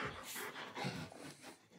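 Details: German Shepherd indoors being given favourite treats and told to lie down, breathing in soft, breathy, noisy panting swells across the whole stretch, with a quiet room behind it.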